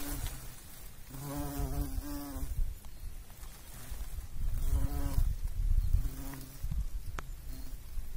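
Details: A pollinating bumblebee gives short droning buzzes, two close together near the start and more later, each a low hum with stacked overtones, over soft rumbling background.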